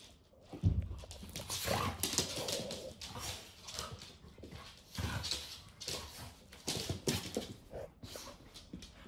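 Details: Evening rough play at home between American Bully puppy Viper and adult American Staffordshire Terrier Jena: harsh, broadband bursts of growling and yelping in uneven clusters, with thumps and padding feet low underneath.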